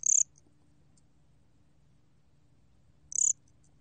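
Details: Korean gom-gwitturami cricket giving two short, high, buzzy pulsed chirps about three seconds apart over quiet low background hum.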